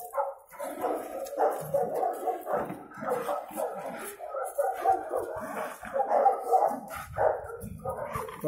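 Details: Cimarrón Uruguayo facing an intruder for the first time: dense, rough barking and growling, the harsh barks overlapping with hardly a pause throughout.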